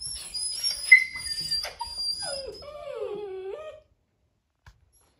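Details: Young male poodle puppies playing together, recorded March 24, 2023: thin, high-pitched whines and whimpers, then a long wavering whine that slides downward and trails off before silence.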